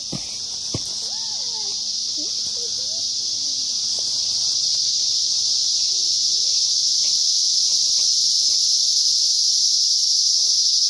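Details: Cicada. A continuous shrill buzz from cicadas fills the air without a break, slowly growing in intensity. Faint, brief squeaky notes and soft sounds drift in underneath during the first few seconds.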